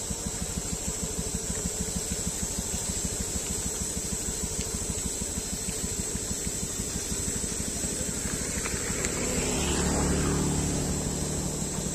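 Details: A motor idles with steady, fast low pulses and a constant high hiss, and a vehicle passes near the end, with no animal calls.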